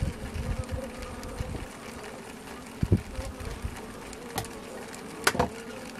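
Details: Western honey bees (Apis mellifera) tapping inside a hive in late August, after a sugar-syrup feeder was added: sharp irregular clicks over a steady low droning hum.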